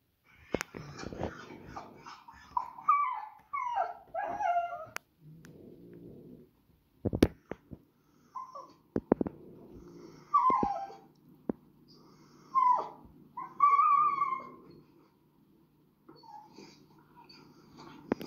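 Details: Small Schnauzer-type dog that reacts on walks and at home, recorded indoors by its owner, giving repeated high-pitched screeching whines and yelps in bursts, some rising and falling, with thumps and clatter between calls and a low steady hum beneath.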